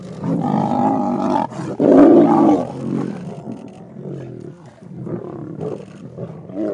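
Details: Vumbi lion pride fighting over a carcass with storm clouds behind them; deep rough roars and snarls in overlapping bursts, loudest around the second second, then lower growling continuing.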